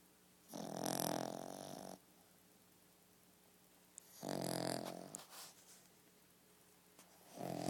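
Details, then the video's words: Molly, a dog asleep indoors, gives long harsh snoring breaths, one lasting over a second, another around four seconds in, and a third starting at the end, with soft snuffles between and a constant background hum. "snoring molly"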